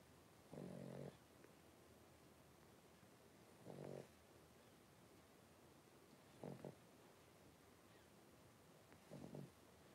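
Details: Five blenheim Cavalier King Charles Spaniel puppies, three weeks old, born at New Year, in an indoor pen. Four harsh, low, snoring breaths, about one every three seconds, each short and buzzy, over a soft hiss.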